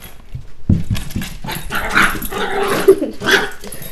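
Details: Hershey, a small pet puppy, play fighting indoors: a burst of rough, noisy growls and short yips, with one brief higher squeak near the end, and scuffling throughout.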